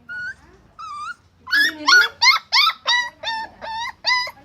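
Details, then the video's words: Angry dog barking: two thin, high yips, then a quick run of loud, sharp, tonal barks, about seven in three seconds, each short and evenly spaced over a quiet background. "Angry Dog Barking and Growling / Snarling"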